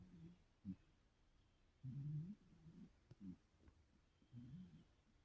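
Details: A 17-year-old cat snores while dreaming and twitching in its sleep. Several low, rumbling bursts come irregularly. The longest and loudest falls near the middle, with shorter grunting puffs before and after over a quiet background.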